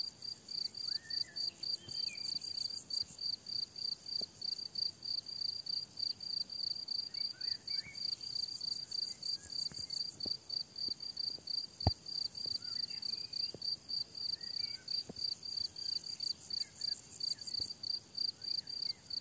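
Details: Crickets on a summer meadow keep up a dense, high, pulsing chirp around three times a second, with faint thrush-like bird phrases and a few clicks in the background.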